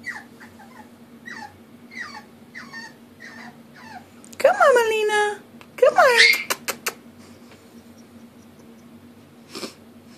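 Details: Molina, a female puppy, cries indoors because she needs help going up the stairs: a run of short, soft falling whimpers, then two loud, drawn-out whines. A person's voice keeps urging her on.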